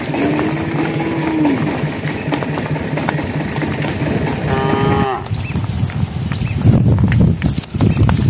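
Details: Cows on a project road as night approaches, calling the herd: a long, low, steady tone opens the clip, and a short, bright moo follows midway. Rumbling engine-like noise fills the end.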